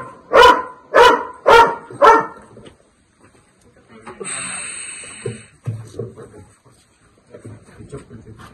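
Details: A dog faces a Russell's viper, giving four sharp, evenly spaced barks about half a second apart, then falling quiet while men talk and a brief hiss-like noise passes.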